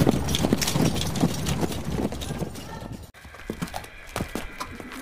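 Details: Horse (Equus caballus), hoofbeats.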